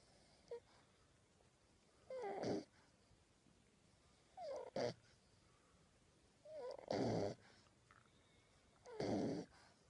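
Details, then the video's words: Sleeping puppies snoring softly, with four breathy, rasping bursts every two to three seconds and faint short squeaky catches in between, heard in a quiet indoor setting. "Snoring Puppies"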